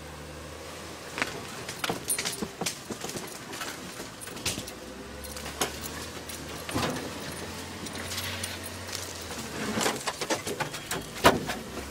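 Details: Metallic clinks and jangles over a steady low vehicle engine hum, with no animal voices. Only mechanical rattling and engine noise are heard.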